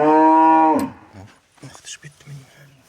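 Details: Cattle bellowing while a vet extracts metal objects from its stomach. A loud, flat moo cuts off after under a second, then gives way to faint voices and soft background sounds.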